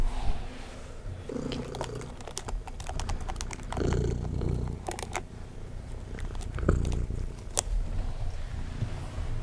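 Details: Domestic cat purring steadily while being brushed indoors: a low, rumbling throb with pulses rising and falling in loudness, overlaid by sharp scratchy brush strokes and soft handling noises.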